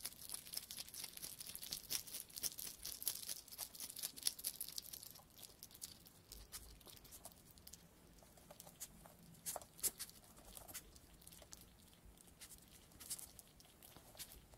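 A hedgehog at night, making quick, scratchy clicks and crunching, rustling noises in irregular bursts.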